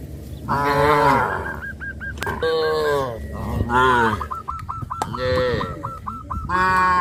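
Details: Cattle on a village farm heading to green grass fields: four loud, deep moos about a second apart, each swelling then dropping, with a rapid string of clipped bird notes filling the gaps and a low background hum.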